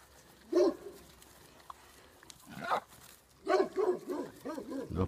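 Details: Wild boar at Arroyo Frío, Cazorla, Spain, being fed by people give short, tonal squeals and grunts in quick bursts while people talk nearby; Wild boar.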